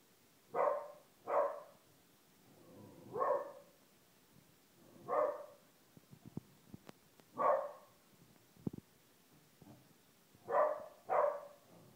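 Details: Female Corgi, one year old, barking to coax her blind half-brother into playing; eight short, sharp barks, some paired and others spaced a second or two apart, with light tapping and clicking sounds in between.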